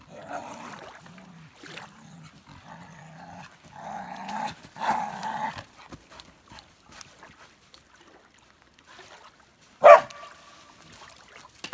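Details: Elsa, a Norwegian Elkhound, excitedly playing with sticks and sand on a beach, gives low, harmonic, grumbling whines in short bursts for about five seconds, then after a quiet stretch lets out one sharp, high yip.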